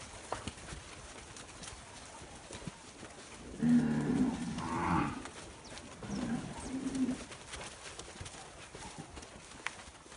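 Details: Nelore calves bred by fixed-time artificial insemination moo loudly. One long, low, droning call rises and falls over about a second, and a second, shorter, softer moo follows two seconds later over steady background noise.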